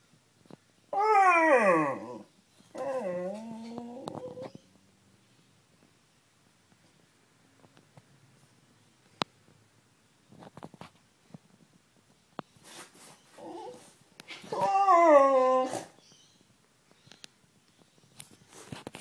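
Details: Sniffer, a pet Beagle indoors wanting to come up on the bed, gives two short falling whine-howls near the start, then after a quiet stretch a louder wavering howl with a sliding pitch, with faint rustling between.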